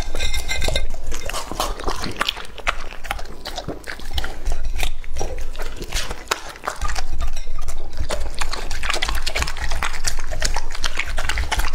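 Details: Labrador Retriever Lucky, a male of English type aged two and a half, chews raw meat. Fast, wet smacking and crunching bites come about four per second, with a brief softer lull midway.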